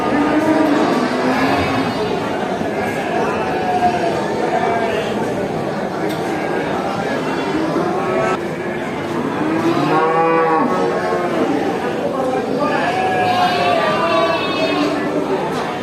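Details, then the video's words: Cattle at a traditional animal market giving overlapping harmonic moos, some arching up and down in pitch, with people talking and a general crowd din around them. "Video of cows at a traditional animal market, they make really funny sounds, moo"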